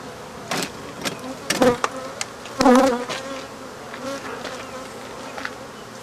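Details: African honey bees buzzing while their hive is removed and the colony killed: short surges of loud, tonal buzzing about every second, each cut by a sharp crack or knock, over a quieter background hum.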